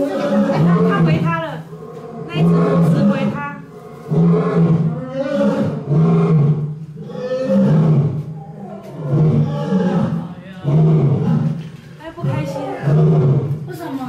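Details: Angry male lion heard by thrilled first-time tourists on 19 October 2018, giving a long series of deep, grunting roars roughly every two seconds, rough and throaty, while visitors chatter throughout.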